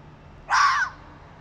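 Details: A fox gives one harsh, raspy scream lasting about half a second while prowling at night through an industrial area.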